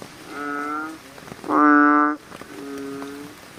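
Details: American bullfrogs at night: three drawn-out, deep, harmonic croaks, each under a second, with the middle one loudest, against a faint steady background hiss.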